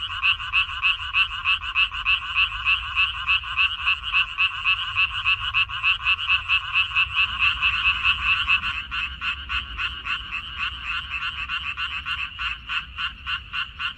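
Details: Frog chorus from a minari field on 14 May 2021. Loud, buzzy croaks pulse steadily, then after about seven seconds the rhythm becomes sharper and more clipped as low background rumble rises slightly.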